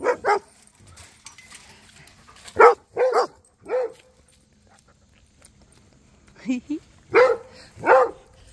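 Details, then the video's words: Rhodesian Ridgeback Cody trading barks with Duchess and the neighbour dogs; short gruff barks come singly and in pairs, separated by pauses, with a softer lower-pitched bark in the middle. "Cody The Rhodesian Ridgeback Was Chatting With Duchess & The Neighbor Doggies!"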